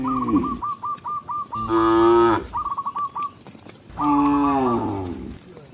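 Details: A tame cow being led back to its pen by a village shepherd lows in two drawn-out, strongly harmonic moos that rise and then sag in pitch. Between them comes a run of quick, evenly spaced short notes, possibly a handler's calls.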